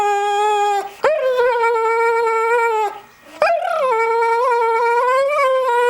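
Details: American Staffordshire Terrier pet dog howling in reaction to a Nokia mobile phone sound; long sustained tonal howls with rich harmonics, a brief break near one second and a pause near three seconds before the howl resumes, wavering slightly.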